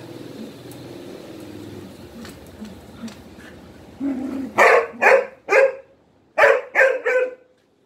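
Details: A dog barks repeatedly for attention during play with three Malinois; after four seconds of low background rumble, six loud, clipped barks come in two groups of three, roughly half a second apart.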